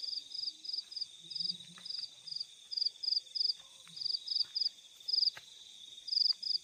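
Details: Crickets in nighttime fields: loud clear pulsed chirps in groups of two to four, close and prominent over a continuous high buzzing trill, faint low murmurs beneath.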